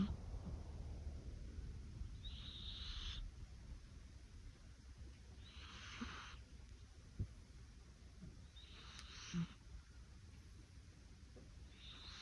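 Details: Sleeping cat snoring softly; quiet breathy hisses repeat roughly every three seconds over a low rumble that fades early on.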